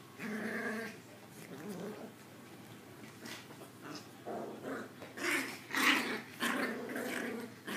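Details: Two small Maltese puppies, Zoe the smaller and more of an instigator, indoors in play; bursts of low growling and grumbling rise and fall, some louder snarly peaks, with scuffling between.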